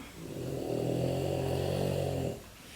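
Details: Female French Bulldog indoors, irritated at being locked up, gives a sustained low droning whine or growl lasting about two seconds with a steady pitch, heard in a home kitchen setting.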